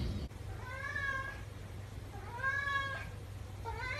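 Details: Billy, an 11-year-old male flame point Siamese cat, meows for attention and play: two drawn-out, arched, harmonic-rich meows of about a second each, then a third beginning at the end, over a low steady hum.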